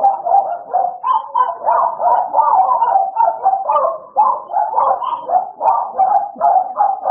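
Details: Idol and Alice, two American Bully dogs, playing with dense, overlapping barks packed tightly for seven seconds, loud and nearly unbroken throughout.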